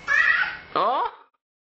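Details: Hungry ten-month-old male kitten at feeding time indoors gives a strong tonal meow, then a second drawn-out call that bends downward, with a woman's voice close by.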